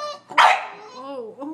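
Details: One of a Sheltie, a Collie and a French Bulldog barking at a squirrel on a rainy March day: a single sharp bark, then a low drawn-out whine as a person speaks.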